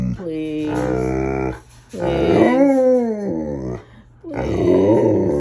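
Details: Alaskan Malamute, woken early and mad, howling along with a second dog: three long loud vocal howls with rich harmonics, the middle one rising and wavering, separated by brief pauses, indoors.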